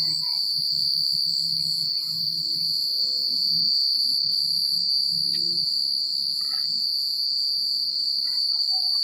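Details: Crickets chirping at night in a secluded countryside setting, a steady high-pitched shimmering trill that runs unbroken through the clip, with faint scattered chirps and a low rumble underneath.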